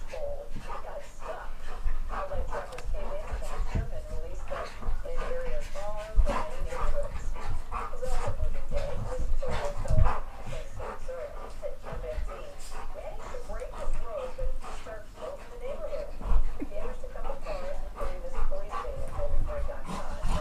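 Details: Playing dogs Geordie, Ellie and Max keep up a steady, wobbling growl-whine chorus for about twenty seconds, punctuated by sharp knocks and rumbling movement, while a person talks in the background.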